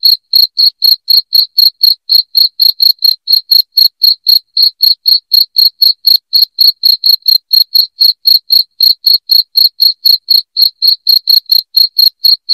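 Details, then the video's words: Loud cricket chirping, meant to be played at home to drive away rats: high, shrill pulses repeated steadily about four times a second without a break, with no other sounds. "SUARA JANGKRIK NYARING PENGUSIR TIKUS"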